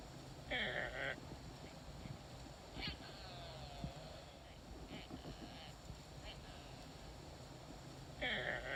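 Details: A female axis deer gives two shrill, squealing calls, one at the start and one at the end, seemingly searching for something, perhaps a fawn.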